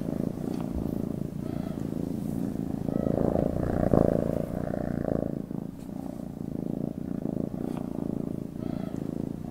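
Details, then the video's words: Deep, rapid cat purring runs throughout, rumbling and pulsed. A louder, broader stretch around the middle briefly brightens the tone before it settles again; occasional faint rustles are heard. "Meow,Purring SPEAKING CAT language"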